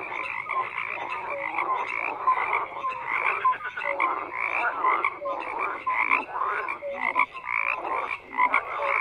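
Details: Many frogs croak together in a steady throbbing chorus, grating pulses overlapping without pause, dotted with occasional short whistle-like notes.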